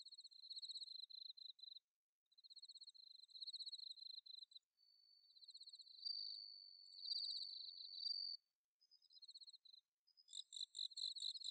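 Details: Suzumushi, the bell cricket, calling through an autumn night at Inba-numa rice fields in Chiba, recorded with a Zoom H6: bursts of high, glassy pulses broken by short silences, a longer rising trill midway, then a dense shimmering chorus.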